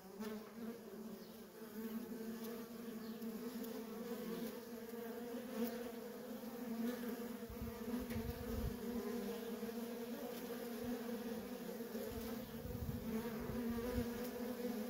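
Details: Worker honey bees streaming in and out of a feral colony: a continuous layered buzz that grows louder, with soft low thuds and rumbles in the second half.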